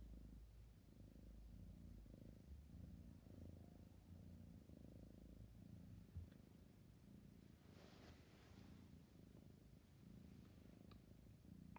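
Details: Sleepy kitten purring: a low, steady rumble that swells and fades in slow breathing cycles about every second, with a brief soft rustle near the end.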